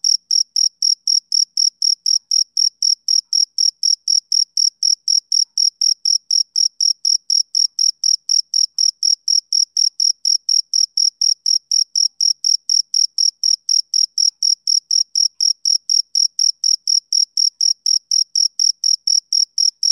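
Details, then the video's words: Summer-evening chirping of a male cricket: a rapid, regular train of shrill pulses, roughly four per second, with an even rhythm and a clean, silent background. "Cricket Chirping Sound Effect"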